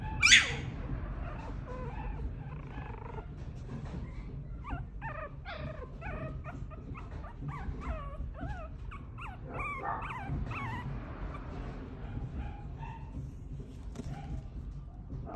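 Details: A Pomeranian puppy, noted for its tanuki-like face, gives a run of high, whiny whimpers and short yips over a low background hum.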